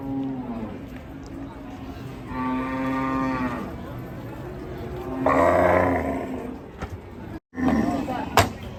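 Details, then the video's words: Cattle in Indonesia, described as raging, give long harmonic moos, one held from about two to three and a half seconds and a louder one near five seconds, over a steady background hum with a brief click near the end. "SAPI NGAMUK"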